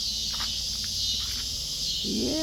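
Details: Cicadas in a backyard keep up a steady, high, hissing buzz that never breaks, with a brief voiced sound near the end, while kittens drink milk nearby.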